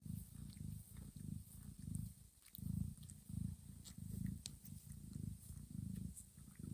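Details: Mother cat purring while grooming her sleeping kittens, licking their heads, backs and bellies in a quiet, warm room; deep, rumbling low purr in steady pulsing waves, roughly one surge under a second apart, with faint soft rustling.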